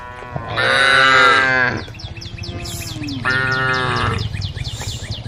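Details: Roaming group of tame cows, all female: a loud moo of about a second, then a softer, shorter one two seconds later, over a low rumble and repeated thin high chirps.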